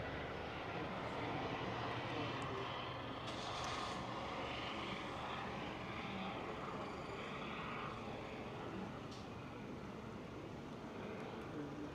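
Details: An outdoor urban setting after rain carries a continuous engine drone, with faint voices and no animal sounds heard.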